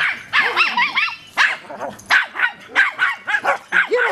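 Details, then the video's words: Pet dog Millie barking at Lori the tortoise on her first day at the house, first time meeting her; sharp high yappy barks repeated in quick bursts, about two per second, with a person's voice in the background. "Millie Barking at Lori"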